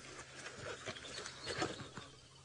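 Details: At Djuma Game Reserve, Sabi Sand, South Africa, on a late-afternoon sunset drive on 27 February 2018, a squirrel gives an alarm call of short, dry clicking chirps about every half second over faint outdoor noise, possibly at a Wahlberg's eagle or a drone.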